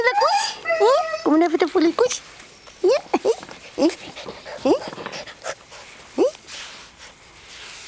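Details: Greenland Dog puppies aged seven weeks, three litters at play together in the yard at Tinka's Kennel, June: quick rising yips and squeaks, crowded at first, then spaced single sharp yelps every second or so.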